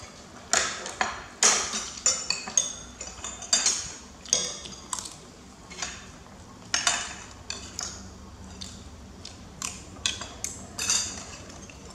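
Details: Repeated sharp clinks and scrapes of dishes and cutlery ring out every second or so over a quiet indoor hum.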